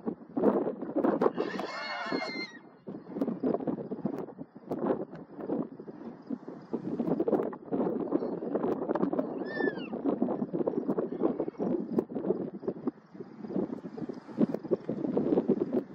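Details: Dominant Garrano stallions sparring in the wild, Serra do Suído, Galicia, July 2024: one loud, strained, harmonic squeal around two seconds in, then a long stretch of wind buffeting and movement noise with a thin descending whistle midway.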